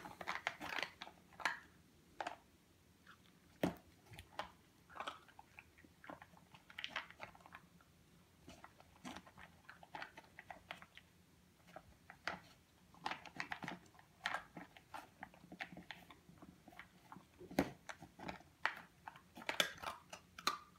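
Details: Purebred European Doberman Pinscher puppy, 8.5 weeks old, eating indoors: steady crunching and biting sounds, irregular bursts of crisp chewing clicks across the whole stretch, quiet room background.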